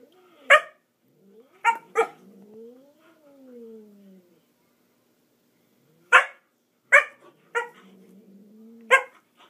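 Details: Dog named Murphy attempting to get a cat to play and failing: bursts of abrupt barks, one quick double bark, and drawn-out whimpering arcs of tone between the loud yaps.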